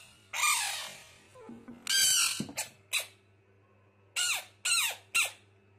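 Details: Fighting frog screaming: loud, harsh squawking bursts with falling harmonic sweeps, several short cries in quick succession after a longer opening scream, over a steady low electrical hum.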